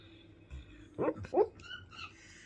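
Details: Basset hound named Millie dreaming in her sleep, giving two short muffled whimpering yips about a half second apart, followed by a faint higher squeak, in a quiet indoor room.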